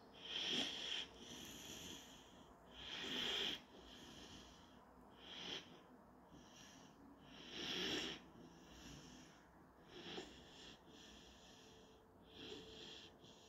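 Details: Napping German Shorthaired Pointer puppy, Panzer, giving a string of uneven wheezing breaths with a thin high whistle. Six or so snorty pulses arrive at irregular gaps of two to three seconds in a quiet indoor setting.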